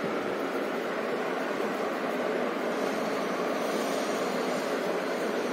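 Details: Steady broadband rushing noise, like a passing train or surf, fills the whole stretch with no animal voice.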